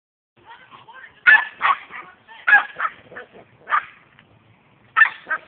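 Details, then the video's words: Percy, a pet dog, barking while attacking a garden sprinkler; a series of short, sharp barks in irregular bursts, some paired, with faint whining between them. "Dog attacking sprinkler"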